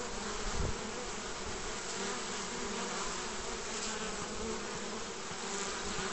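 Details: Honey bees crowding the entrance of a basket hive on 29 March 2014, spring pollen time: thick, steady buzzing hum with layered tones, a short louder wingbeat burst early on.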